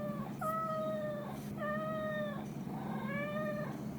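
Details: Domestic cat, mostly one named Chiro, in a weekly compilation of cat calls from 16–22 October 2021: three long, steady, slightly falling meows about a second each, with a constant low hum indoors.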